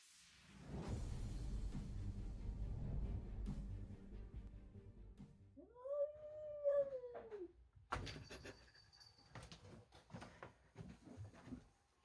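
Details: Indoor cat George, angry that a young kitten named Milo has entered the house and stolen his tuna, gives one drawn-out arched yowl lasting about two seconds. It follows a rumbling, noisy stretch and is followed by scattered knocks and clatter.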